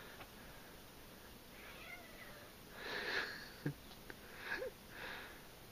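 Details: Dash and Violet, a domestic cat brother and sister, wrestling indoors in a play fight. Soft breathy, hiss-like bursts arrive midway and near the end, with a brief thump, over a quiet room background.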